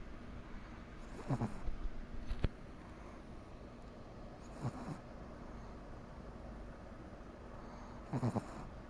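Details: Komari the Pomeranian asleep and snoring, three soft breathy snorts evenly spaced about three and a half seconds apart, with a brief click in between and a low background hum.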